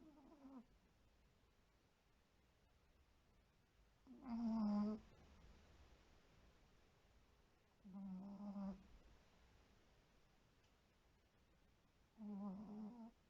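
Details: White Pomeranian snoring loudly while asleep in a home with several dogs: three loud, throaty snore bursts, each under a second, about four seconds apart, after a quieter one at the start, with a faint steady hum between.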